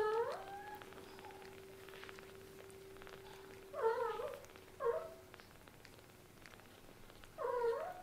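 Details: Kittens whose eyes have only just opened give four high, wavering meows, the first at the start, then a close pair midway and one more near the end, each under a second long, with a steady hum and soft ticking behind.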